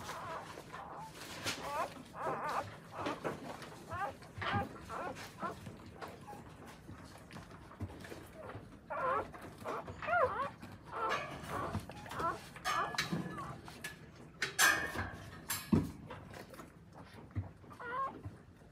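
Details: Newborn Akita puppies in their mother's care in Akita, Japan: scattered thin squeaking whimpers blur together with rustling, thumps and faint human voices in a small room.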